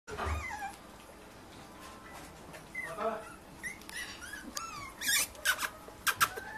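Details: Chilli and Ron's puppies giving scattered high, squeaky whimpers with short rising and falling whines, among soft rustling and a few sharp clicks.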